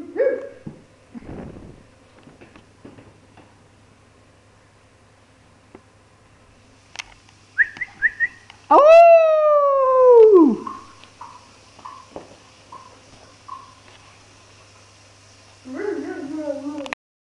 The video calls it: HUSKY SIBERIANO AULLANDO - SIBERIAN HUSKY HOWL